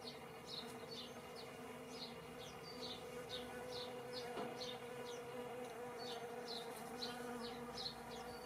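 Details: Spring bees recorded in 2017 give a continuous low humming drone, while sharp high chirps recur roughly twice a second above it and a brief knock sounds midway.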